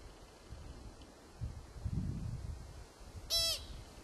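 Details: American pika in Kokanee Glacier Provincial Park, British Columbia, giving one short sharp call with a rapid stack of descending notes, loud and brief near the end, over low rumbling wind.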